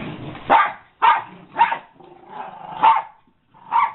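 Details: Five harsh barks from an American Eskimo Dog, spaced about half a second to a second apart, with a low growly murmur between them.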